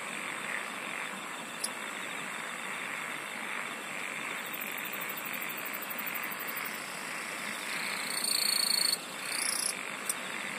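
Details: Singing insects in a dense, continuous night-like chorus: a steady high shimmering band, a grainy mid-pitched wash beneath, and brief bright pulsed bursts near the end.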